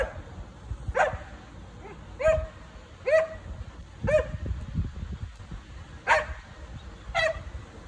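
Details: Pet dog Rosie objecting to the neighbours lounging in their back-yard pool; sharp, ringing barks roughly once a second, some in quick pairs, over a low rumbling background.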